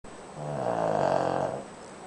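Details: Sleeping pet Shih Tzu named Koro snoring indoors: a single drawn-out, soft, throaty snore with a harmonic, slightly buzzy tone that swells and fades over about a second, over a quiet room hum.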